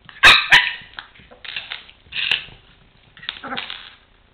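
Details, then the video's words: A 4-month-old Chihuahua puppy barking while playing with a toy truck on the floor; several short sharp high yaps, the loudest near the start, followed by softer whiny yelps and grumbles. "My Chihuahua puppy acting silly and barking."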